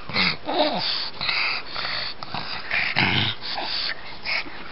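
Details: Pug dog indoors while playing like a cat, giving a series of snorting, wheezy grunts and short nasal whines in bursts, with a low rising-falling whimper near the start and rustling between sounds.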